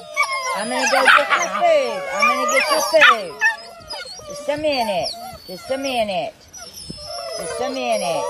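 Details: Several Belgian Malinois on a farm in Morocco give repeated arched whimpers and short howls, each call sliding up then down, with brief pauses and other dogs overlapping.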